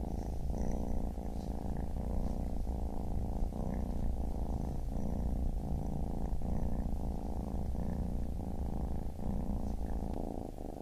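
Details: Steady, unbroken low purring from a baby kitten, a dense vibrating rumble with only faint breath shifts and soft ticks above it.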